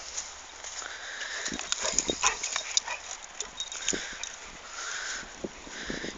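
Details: Pet dog refusing to give up his loot when told to drop it; thin, high whining tones come and go over scattered clicks and scuffling, with the level rising and falling throughout.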